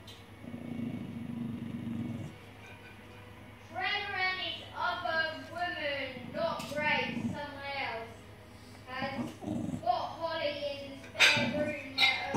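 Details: Kai the dog guarding his bone as someone reaches for his treat, giving a run of repeated, wavering, whiny grumbles that rise and fall in pitch for several seconds, with people talking and laughing around him indoors.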